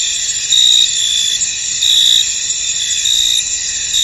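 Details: Misty field crickets singing together, a constant high buzz punctuated by louder shrill chirp bursts, each lasting about a third of a second and repeating at uneven intervals.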